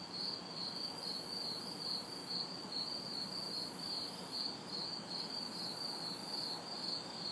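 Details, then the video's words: Crickets and cicadas on a hot summer night in an urban backyard, the crickets giving quick shrill chirps in an unbroken rhythm while a cicada drone surges and cuts out overhead; a faint wash of far traffic underneath. "Summer Night Sounds ~ Crickets, Cicadas"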